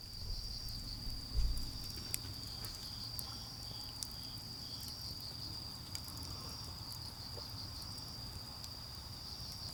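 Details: Autumn insect chorus in a garden at a campfire, an unbroken high-pitched trill over heavy low rumble, with a dull thump early on and scattered crackling snaps from the burning wood.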